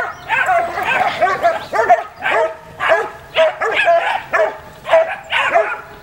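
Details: Puppies giving repeated high whining yelps, about two per second, each a short rising-falling cry, loud and close.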